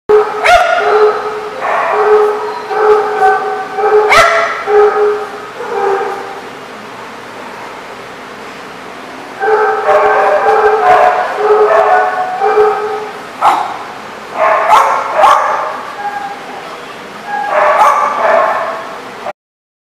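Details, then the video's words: Dogs barking at a lot, recorded on 25 July 2014. Rapid barks come in dense overlapping bouts of several seconds, roughly seventy a minute. A quieter gap falls mid-recording before the barking resumes strongly until the end. "The Barking Lot"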